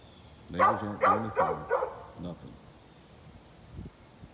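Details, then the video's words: Dog belonging to a neighbour, recorded 13 November 2020: four loud, throaty barks roughly every 0.4 seconds, then softer barks trailing off into quiet. "Neighbor's barking dog"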